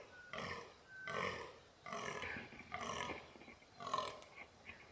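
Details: Free-range fallow deer buck during the rut in the mountains of New South Wales, Australia; five hoarse, belching groans roughly one second apart, rough and broadband, with a faint bird whistle in the background.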